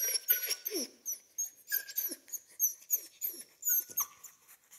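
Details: Central Asian Shepherd Dog puppy whimpering in a run of thin, high whines, many sliding downward, about three per second, with short breathy squeaks between them.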